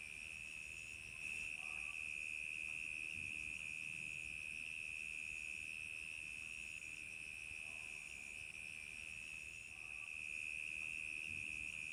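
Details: Night crickets in summer fill the air with a constant, piercing, fast-pulsed trill, steady in pitch, with faint scattered lower chirps and slight swells in volume.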